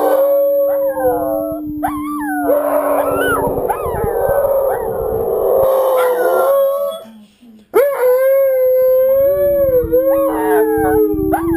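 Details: Two house dogs howl with wolves heard on TV, bonding as a pack; drawn-out wavering howls overlap in chorus, break briefly near the middle, then resume with a steady low tone under rising higher voices.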